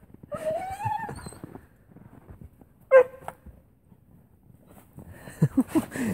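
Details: Airedale Terrier thrilled at its owners' return gives a brief high whine, then a single sharp bark, a quiet pause, and a burst of short quick yelps at the end.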